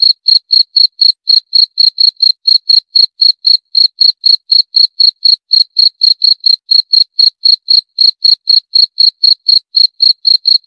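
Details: Continuous high-pitched cricket chirping, a rapid, regular series of short pulsed notes near four per second, sustained throughout against total silence.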